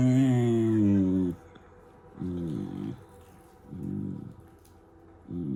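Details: A German Shepherd puppy makes playful noises: one long steady moaning whine, then three short throaty grumbles spaced about a second apart, each with a wobbling pitch.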